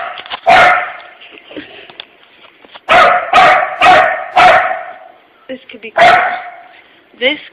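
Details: Pet puppy Pooper barks repeatedly at a puppy-shaped empty tissue holder he fears, loud rough barks in a quick run of four, a lone bark before and after, and soft yips at the end.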